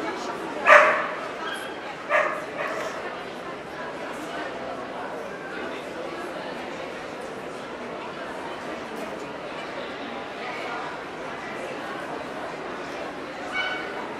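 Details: Welsh Corgi at a dog show in Ostrava, 14 April 2012. Two abrupt barks open the recording, then a long stretch of crowd chatter and hall noise follows with no further clear barking.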